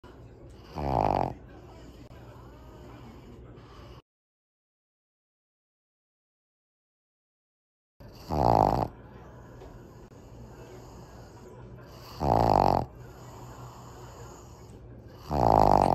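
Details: Kongzi, a five-year-old female Pug, drifting off to sleep; loud snorting snore bursts come roughly every four seconds, separated by quiet breathing and a stretch of silence.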